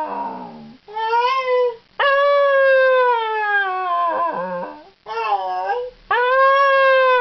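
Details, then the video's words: A male Scottish Terrier howling and 'talking', trying to say 'hello': long, rich, wavering howls that slide up and down in pitch, broken into four or five bouts by brief pauses and breaths. "Scottish Terrier Dog howling, talking and saying 'hello'"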